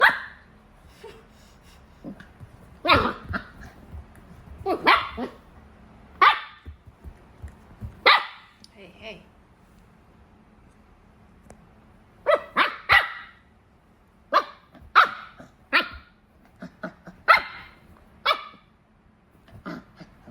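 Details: A puppy protesting during its first attempt at having its teeth brushed: sharp, short yappy barks in bursts, some doubled, spaced a second or two apart, with quiet voices between.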